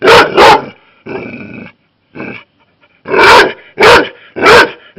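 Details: Labrador Retriever barking at a hedgehog, an unwanted guest, while its owner repeatedly tells it to stop. Loud sharp barks come in two quick pairs, then three spaced barks after a pause, with a softer whining sound in between.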